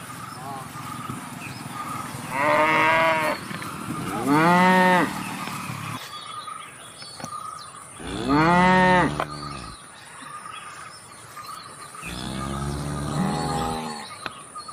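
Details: Cow mooing four times across the recording, short harmonic moos spaced a few seconds apart, some rising then falling, over a steady background hum.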